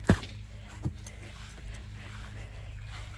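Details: Two sharp thumps, the first loud and the second softer, over a steady low hum with no animal voice.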